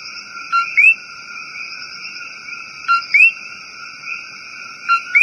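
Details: A common coqui in rainforest gives its two-note 'co-QUI' call, a low note then a rising whistle, about every two seconds.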